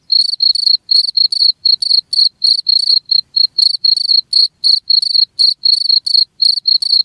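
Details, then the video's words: High, ringing cricket chirps repeated steadily about four times a second, each a tight pulsed trill. Played back to drive off rats, with a quiet background throughout. "SUARA JANGKRIK"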